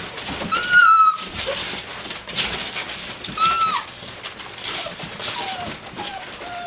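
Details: Dobermann puppies aged six weeks and five days romp as a group around a flirt pole; thin, high, slightly wavering whines and squeaks sound at intervals of a few seconds amid constant rustling and paw noise.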